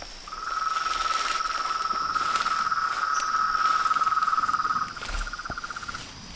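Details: Frogs, toads and tree frogs calling at dusk at a small reservoir pond in front of a house veranda: a steady pulsed trill at mid pitch runs nearly five seconds, then a second shorter trill, over a constant high insect-like whine.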